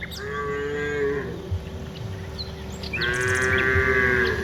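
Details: Dozens of cows on their way from the rice fields to the village; a long, low, steady moo followed by another drawn-out moo that swells louder, with a constant high hiss in the background.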